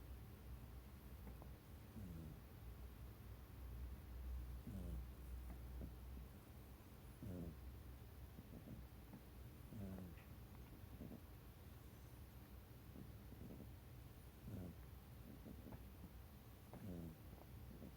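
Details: Domestic cat named Mikan snoring in her sleep, curled tight against a person's feet; low, buzzy, rasping snores repeat evenly about every two and a half seconds, some paired in-out breaths, over a quiet room hum.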